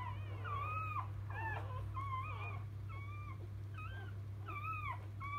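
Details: Just-born field Labrador Retriever puppies from mother Biscuit utter drawn-out wavering whines and squeals in rapid sequence, bending up and down in pitch, with a steady electrical hum underneath.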